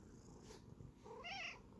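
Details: A Sphynx cat, a breed that rarely or never meows and instead talks in grumbling, growling noises, gives a brief, wavering growl-like vocalization that rises and warbles in pitch.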